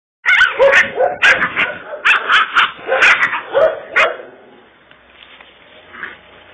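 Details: Kangal dog, called a Kurdish Kangal and a born fighter, gives a rapid run of harsh, loud barks, about a dozen in four seconds, then falls quiet with only faint background sound.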